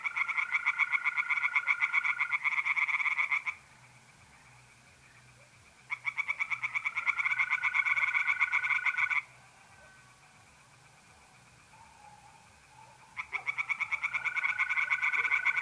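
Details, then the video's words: Pond chorus of tree frogs at night in mid-April, North-East Italy, calling in bursts of a few seconds of fast pulsed croaks, separated by quiet gaps; mole crickets trill steadily between and beneath the frog bouts. "relaxing singing tree frogs in pond"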